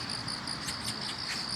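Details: A chorus of grass insects, including crickets, at a roadside on a morning commute as autumn arrives in Korea: a steady high trill with brighter pulsing chirps layered over it.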